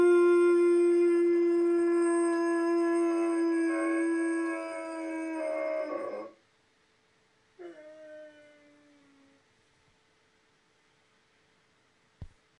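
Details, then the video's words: Male chocolate Labrador Retriever, pure bred, howls on hearing a movie intro: one sustained, level, tonal howl lasting about six seconds before breaking off, then a short falling howl after a pause and a sharp click near the end. "Howling Chocolate Labrador"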